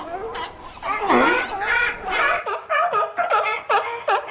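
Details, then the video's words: Short yelping, wavering cries from seals and sea lions follow one another quickly, rich in harmonics, with one louder drawn-out groan early on. "Seal and Sea Lion Sounds"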